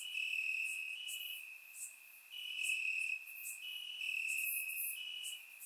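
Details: Night chorus of crickets in Bulgarian grass on a warm summer evening, captured in surround sound: continuous shrill trilling that swells and fades in waves about every second or two.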